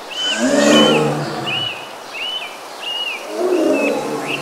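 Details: Two throaty, rumbling roars from Bengal tigers of the Sundarbans mangrove forest, India, one early and one late, separated by a quieter stretch. Clear whistled bird notes repeat throughout.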